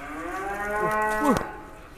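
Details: Giant cattle bellowing while being fed and weighed in a pen in Indonesia: a drawn-out harmonic moo that swells and then breaks off with a sharp downward crack near the end.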